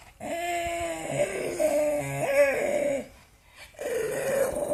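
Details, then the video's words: A mad pug letting out long, tonal, moaning growls that waver and bend, three drawn-out vocal bursts separated by a brief quiet gap. "Pug noises"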